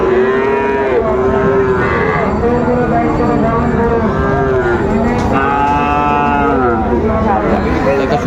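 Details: Friesian and cross-bred bull calves at the Raniganj cattle market in Dinajpur on 3 September 2024, several overlapping low drawn-out moos with rich harmonics over constant loud market crowd noise and talking.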